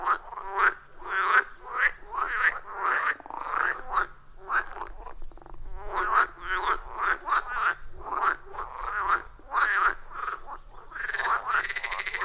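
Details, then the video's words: Wild frogs calling at a forest pond, captured with iPhone 14 Pro and Shure MV88+: rapid rattling croaks repeated steadily about twice a second, many callers overlapping in a busy, rhythmic chorus. "30 Minutes of Frog Sounds at a Forest Pond"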